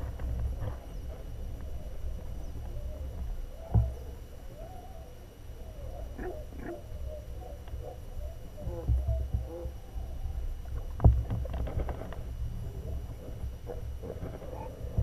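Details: Adult harp seals swimming beneath sea ice while pups rest on the ice above call underwater: wavering, warbling tones over a deep rumble, with scattered sharp clicks.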